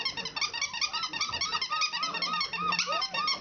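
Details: Several four-week-old country puppies practising their voices indoors: a busy overlapping chorus of high, arched squeaks and thin whines, quick and irregular, with a few lower growly notes underneath.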